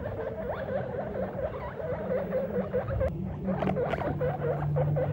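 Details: Squeaking from a guinea pig dad meeting his babies for the first time: rapid runs of short, hooked, squeaky chirps with a few louder bursts near the end, over a steady low hum.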